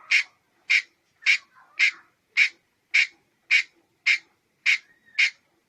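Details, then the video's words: Red-headed squirrel calling with sharp, clipped notes, about ten in a row, evenly spaced roughly every half second, each short and bright with a strong middle pitch; faint softer sounds between calls, otherwise quiet. "เสืยงกระรอกหัวแดง. Suab nas ncuav liab qab"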